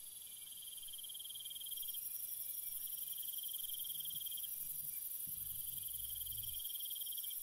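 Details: Crickets at night, several overlapping high, shrill trills; one pulsed chirping band switches on and off in bursts of a few seconds over a constant ringing chorus, with a faint low thump near the end.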